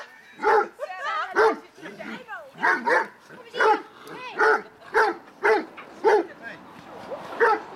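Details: Harlequin and black Great Dane pups, seven months old, reunited as littermates on 2 September 2012; deep barks repeat about every half second to second in a steady run, with people talking in the background.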